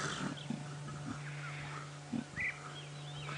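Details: Wild female leopard snarling preemptively at her almost one-year-old cub, not at people in the vehicle, during a sunset safari drive on 1 January 2017; short, low rasping bursts near the start, at one second and at two seconds, over steady vehicle hum.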